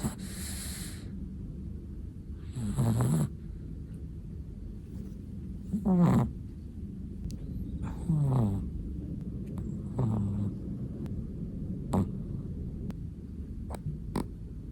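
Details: Sleeping black-and-tan long-haired Chihuahua snoring, soft breathy snores with short nasal buzzes around three, six, eight and ten seconds, low hum underneath, occasional faint clicks.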